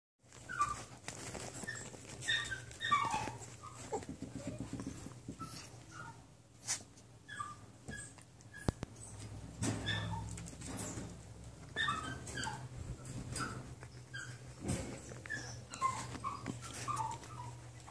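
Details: A litter of 9-week-old small mixed-breed foster puppies whimpering; many thin, high, squeaky whines and yelps scattered across the clip from several pups, over a low steady indoor hum and occasional knocks.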